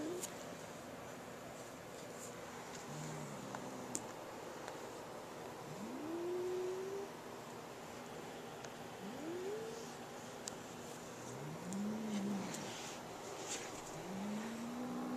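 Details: A pet cat named Boo, unwilling to share his new feather toy with sister Molly, gives a series of rising, moaning growls, each swelling upward then sagging, spaced a few seconds apart, in a quiet room.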